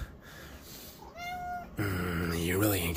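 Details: Indoor cat eating wild red king salmon fillet in a bathroom, uttering one clear, slightly rising then falling meow, followed by loud rustling and clattering noise as a man speaks to it.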